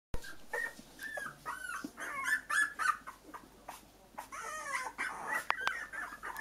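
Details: Young, newly mobile Cocker Spaniel puppies in a puppy pen whimper and squeak in quick, overlapping bursts of high, thin cries.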